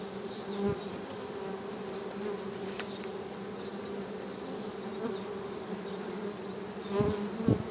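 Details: Honey bees buzzing as a steady droning hum with a low fundamental and a strong harmonic band above it, holding constant throughout, broken by a few brief clicks and thumps near the start and end.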